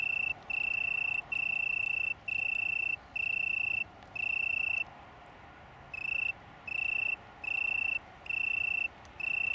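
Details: Italian tree cricket (Oecanthus pellucens) from a small downland colony near Brighton, England, September 2019, giving clean ringing trills about a second long broken by brief pauses, with one longer silence midway.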